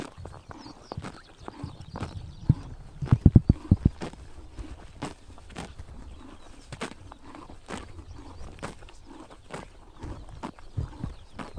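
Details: Mongolian summer morning, horses cropping grass in the sun: crisp, close tearing bites repeat almost three times a second with dull thumps of chewing underneath and a short cluster of louder knocks early on.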